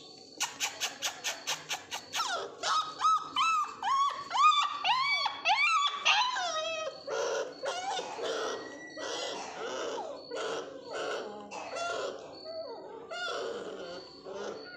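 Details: Two male Mudhol Hound puppies from Bagalkot, Karnataka: a quick string of sharp ticking sounds opens, then a dense run of yelping whimpers, arched and insistent, fading into softer scattered whines.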